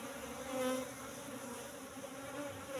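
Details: Asian honey bees (Apis cerana) in a hive box at honey harvest time, the colony moved from the forest about three months earlier; a steady low droning hum with a second higher hum layer, swelling briefly near the start.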